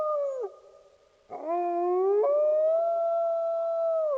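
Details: Wolves howling in long, steady, drawn-out tones; one howl trails off early, then after a quiet gap voices rise again, swell and hold a level pitch for nearly three seconds before dipping at the close.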